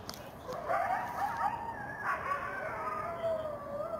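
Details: Several wild coyotes yipping and yapping from the forest on a full-moon September night; quavering howls glide up and down and overlap with short yelps, rising and falling in a dense chorus against faint steady noise.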